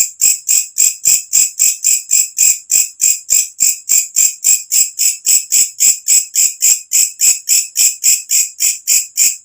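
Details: Shrill rhythmic calling of a walang kecek katydid, which sounds after dark and serves bird keepers as a training sound; rapid regular rasping pulses, near three and a half per second, steady throughout.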